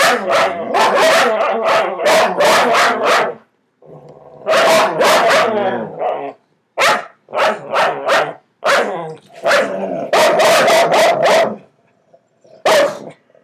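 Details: Several dogs indoors barking at each other from under a bed: bursts of sharp, rapid barks, several per second, broken by short pauses and lower growly stretches.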